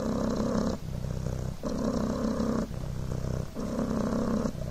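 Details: Purring of Coco, a pet Devon Rex kitten, on a blanket. A steady, low rumbling buzz, broken by brief dips about every 0.8 seconds as the kitten breathes in and out.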